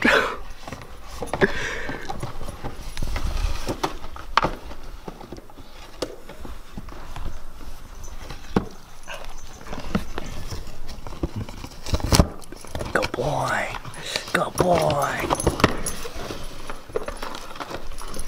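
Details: Impatient Siberian Husky during the unboxing of an automatic pet feeder, giving a brief wavering, whining vocal run late on over steady cardboard rustling, paw thumps and a man's excited voice.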